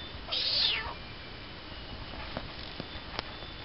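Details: Short, high meow from a tiny kitten, rising then falling within half a second, followed by faint background hiss and scattered soft clicks and taps.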